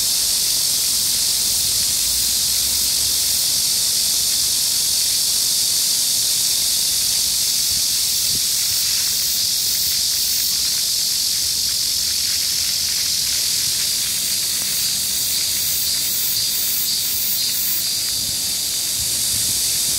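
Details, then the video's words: Cicadas on a hot midsummer day, July 14, 2022, in Gayang-dong Culture Park, Gangseo-gu, Seoul, South Korea, 31°C with light wind; a dense, steady high-pitched buzzing chorus pulses without pause, a fountain also running. "The sound of cicadas on a midsummer day"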